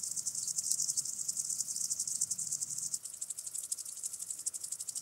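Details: A common green grasshopper (Omocestus viridulus) sings a high, dry ticking buzz that runs on without pause, recorded at Tschenn, Italy on 19 August 2019.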